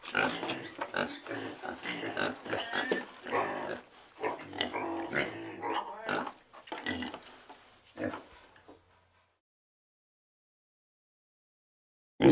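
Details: Pig giving a rapid run of rough, broadband grunts and snorts for about nine seconds, then silence before a short loud burst at the very end.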